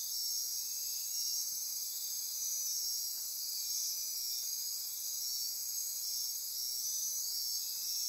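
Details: Midnight rainforest insects on Costa Rica's Osa Peninsula near Corcovado National Park, a steady high-pitched wall of ringing trills and buzzes with faint rhythmic pulsing throughout.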